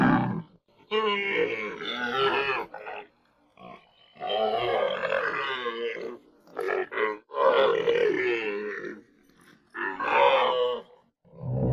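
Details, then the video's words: Repeated rough, moaning grunts and gurgling bellows from a camel, each lasting one to two seconds with brief gaps between them. "SONIDO DE CAMELLO"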